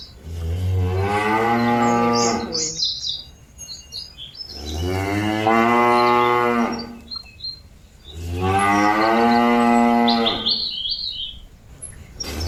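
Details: Cattle calling their companions back to the pen with three long drawn-out moos, each two to three seconds of rich harmonic lowing spaced about four seconds apart; small birds chirp in the gaps.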